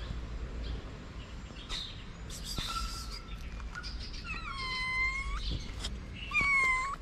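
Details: One-eyed stray kitten living on the street with its starving siblings, giving several drawn-out, rising-then-level meows in the second half, over background rustling and faint bird chirps.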